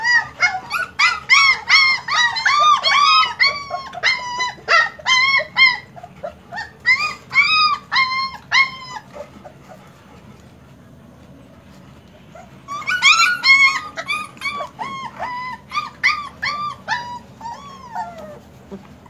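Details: German Shepherd puppies whining in rapid bursts of high arched cries, a quiet stretch of about three seconds in the middle, then another busy round of overlapping yelps and whimpers.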